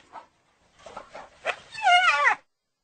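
A hyena gives a quick, wavering, high-pitched giggle after a few rough, breathy yelps.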